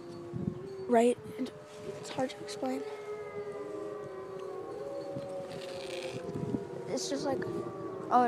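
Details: Wolves howling together in long sustained overlapping tones, steady and gently sliding, while people nearby talk and laugh over them.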